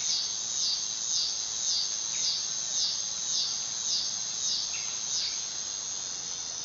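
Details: Dog-day cicada (Neotibicen canicularis) in summer, producing a high, harsh buzzing drone that pulses rhythmically about twice per second, with a couple of faint short chirps underneath.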